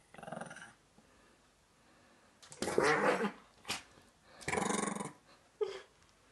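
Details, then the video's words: Chihuahua playing indoors with a chinchilla: short rough growling bursts, two longer noisy bouts and a brief yip, with a woman's speech before them. "Чихуахуа шалит с Шиншиллой / Chihuahua plays pranks with chinchilla"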